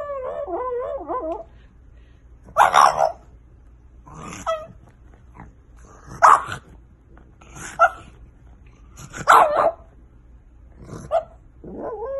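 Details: French Bulldog puppies: a warbling, wavering whine opens, followed by about seven short, punchy barks at irregular intervals, ending on a brief whimper.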